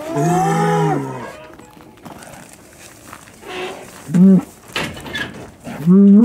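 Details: Hereford bulls turned out with breeding groups at Chandler Herefords, 2017; a long steady low moo opens, followed later by two short rising-and-falling moos, with scuffling and noise between.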